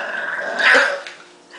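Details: English Bulldog puppy named Marshall, spoken to softly by his owner as if he is mad, gives a short raspy growl that swells to a rough peak and then fades within about a second.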